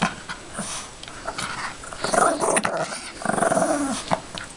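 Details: Yorkshire Terrier growling while playing with its toy bunny: quieter rustling at first, then two stronger grumbling growls, the second longer and dipping in pitch toward its end.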